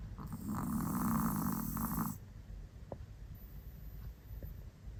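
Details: A pet Chihuahua snores in a loud, rasping burst lasting about two seconds, a rough buzzing drone, followed by quieter breathing and a few faint clicks.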